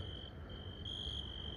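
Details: At night around the port area of Lisbon, a cricket gives a steady, high, ringing trill over a low rumble of background noise.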